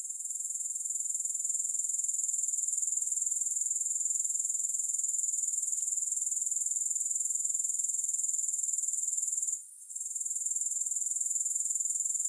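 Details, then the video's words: Steady high-pitched grasshopper buzzing, a dense run of fast regular pulses that drops out briefly for a moment near the end before resuming, without music. "Grass Hopper Sounds"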